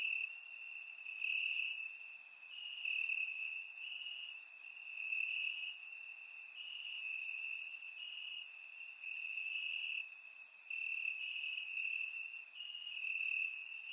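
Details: Crickets chirping in grass on a warm summer night in Bulgaria, recorded with a surround microphone: a steady high trill with pulsing swells every second or two, plus fainter, higher insect chirps layered above.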